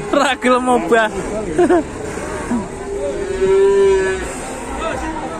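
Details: An enormous cow being unloaded in Indonesia, frozen in place like a statue; a man talks briefly, then a long, even, mid-pitched moo holds for over a second amid voices.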